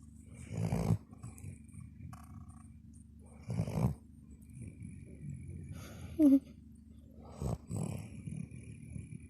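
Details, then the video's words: A dog snoring: low rumbling breaths in loud bursts about every three seconds, separated by quieter drawn-out wheezes, with one brief squeaky sound in the middle. "dog is snoring machine"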